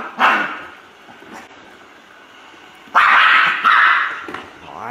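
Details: Poodle giving a single sharp bark, then after a pause a louder pair of barks in close succession, with faint human voice in between.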